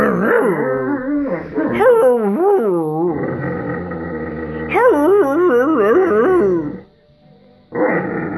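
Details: A playful Irish Wolfhound, lying down and wanting a game, holds a long warbling, yodel-like moan that swoops up and down in wavy tones, then breaks off into a short silence before one more grumble.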